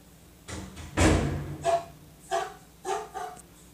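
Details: Dog said to bark like a pitbull; a loud low thump opens, then three or four short barks follow at uneven intervals over a low background hum.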